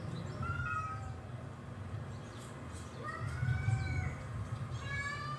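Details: Rocco, a pet cat, joins in while cat fight videos play. Several thin meows rise and fall, with gaps between them, over a steady low indoor hum.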